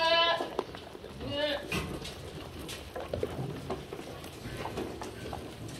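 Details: Barn-kept black goats at feeding time in Gimhae, South Korea, January 2022; opens with a short wavering bleat, a second brief bleat follows, then clattering and munching noises fill the rest.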